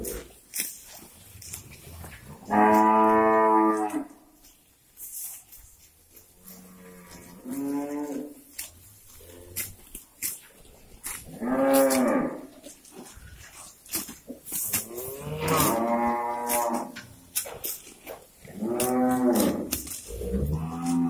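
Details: Several cows on a breeding farm, released to morning pasture and contented with the grass, moo repeatedly: long harmonic lows at about 2.5, 12, 15 and 19 seconds with shorter moos between, amid clicks and farmyard clatter.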